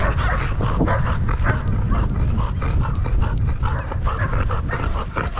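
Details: Danny, a Belgian Malinois in Cebu, Philippines, pants quickly while playing fetch, breathy bursts repeating about three times a second over a steady low rumble of wind or outdoor noise.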